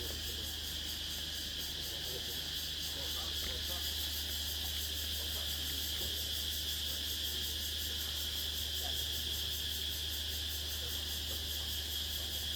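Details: A dense insect chorus at dusk on Nang Yuan Island of shrill, steady buzzing and fast pulsing trills over a low hum; the insects go silent as someone walks by.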